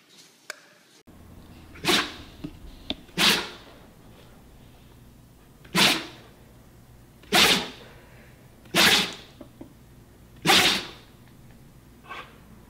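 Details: Pet dog sneezing indoors, a run of sharp, broadband bursts about every one and a half seconds, six in a row, with a quiet room hum between them.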